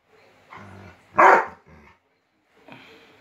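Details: A Rottweiler meeting a new puppy gives a single sharp, loud bark between softer, lower grumbling sounds.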